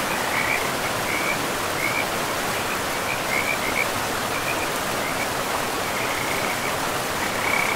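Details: Frogs beside a river in a pristine forest with moss-covered ground give short, high chirping notes repeated irregularly through the stretch, set against a steady, loud rush of flowing water.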